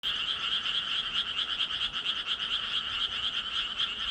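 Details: Frogs calling in a dense, continuous chorus of rapid, raspy pulses, a bright band with a lower harmonic, repeating about twice per second with little variation and no other clear sounds.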